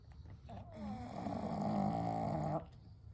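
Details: One of three pet pugs, Kou, Gen and Shun, asleep together at night, giving a single steady, buzzy snore lasting about two seconds before breaking off into quiet.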